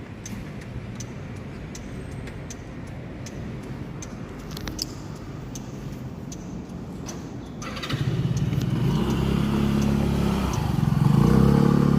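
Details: A motor engine rumbles and revs, growing louder toward the end, with no animal voice heard.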